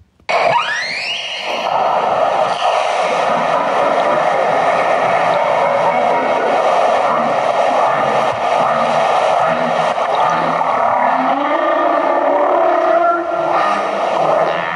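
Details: Humpback whales trade a dense, rasping chatter of overlapping calls after a failed bubble-net hunt, likened to an argument ("I was there, where were you?").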